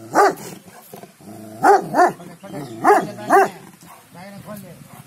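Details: Gaddi dog of show quality in Punjab barking four times in two pairs, each bark deep and gruff, with a man talking quietly between and around the barks.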